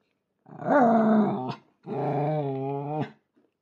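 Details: Miniature Schnauzer at home, eager to join the family's board game, gives two sustained, steady tonal howls, each just over a second, with a brief pause between them.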